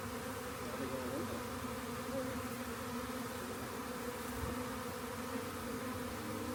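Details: Continuous hum from a honey bee swarm as the bees are gathered into a box after being found near a rain gauge; an even, layered drone with a soft thump late on.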